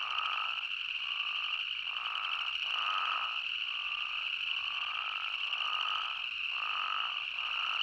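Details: Spadefoot toads in Arizona calling together: about ten bleating notes, each nearly a second long with brief gaps between, ride over a steady shrill chorus drone, with no people or wind heard.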